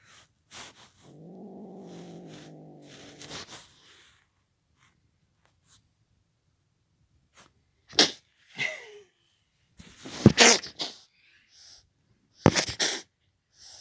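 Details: A Belgian kitten growls at the camera: a steady, low, harmonic growl lasting about two and a half seconds, followed by scattered clicks, rustling and handling noises.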